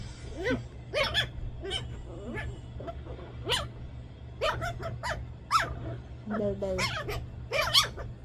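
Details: Playful 2-month-old female Shih Tzu puppy at play, giving short high whining yips and squeaks in quick bursts, mixed with a woman's Filipino chatter close by.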